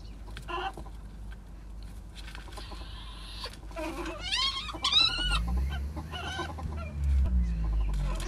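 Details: A mating pair of ferrets makes short clucking sounds, then a run of quick, bright, wavering squeaks midway, while a low rumbling noise fills the second half.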